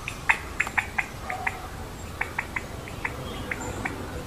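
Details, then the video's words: Indian giant squirrel (Malabar giant squirrel), wild, sitting on a tree top, making noise and jumping. Sharp, short clicking chips come irregularly, two or three each second, over a steady background hiss. "Indian giant squirrel sound🐿️Malabar giant squirrel call"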